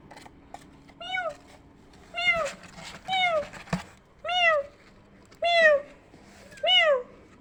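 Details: Kittens responding to a meowing sound that resembles them: six thin, high, arching meows repeat about once a second, with a few soft clicks and thumps between them.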